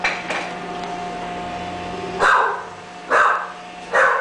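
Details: English bulldog puppies at a breeding kennel; three short, sharp barks arrive about a second apart after a quiet start, over a steady low electrical hum.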